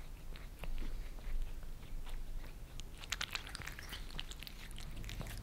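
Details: Indoors in Germany, two cats (Maine Coon Lissy and British Shorthair Fritz) lick creamy treats off glass. Soft smacking at first builds into a dense patter of sharp wet clicks in the second half.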